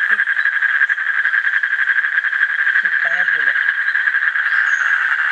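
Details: Asian common toad trill: rapid buzzing pulses at steady mid pitch running throughout, with a brief human voice at about three seconds.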